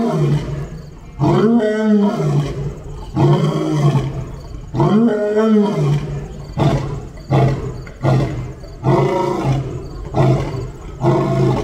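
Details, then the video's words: Lion roaring while meeting another lion: two long, deep, moaning roars with a rising-then-falling tone, followed by a string of shorter, throaty grunting bursts, loud and close. "A Lion's Roar, Have You Heard That?"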